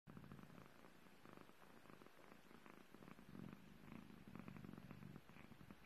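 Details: British Longhair kitten purring indoors while licking a person's finger; a steady, low, rumbling purr runs throughout with soft pulsing swells and faint licking clicks.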